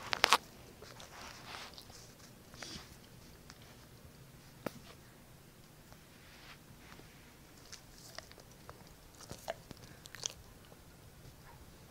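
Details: Faint crunching, chewing and scattered clicks sound in a quiet small room, with no animal calls.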